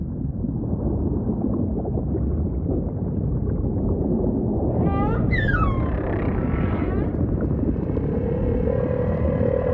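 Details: Humpback whale singing amid ocean ambience: a cluster of harmonic downswept cries midway, followed by a low sustained tone, with a constant heavy underwater rumble beneath.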